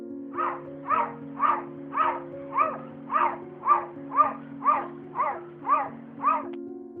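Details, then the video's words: Domestic cat said to bark like a dog instead of meowing, a rare behaviour: short, harsh, barking calls repeated about twice a second, thirteen in all, over a steady musical drone. "tapi video berikut ini malah menunjukkan seekor kucing yang sedang menggonggong"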